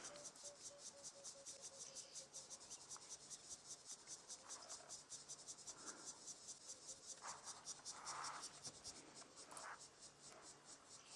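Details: On an October sunset drive in the African bush, a species of cricket, possibly with cicadas, chirps in a fast, high, steady pulse, two or three chirps a second, with oxpecker notes in the background.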